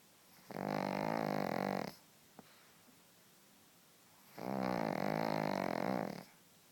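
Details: Pug snoring: two long, harsh, rattling snores of about a second and a half each, separated by a quiet pause of roughly two and a half seconds, in a quiet room.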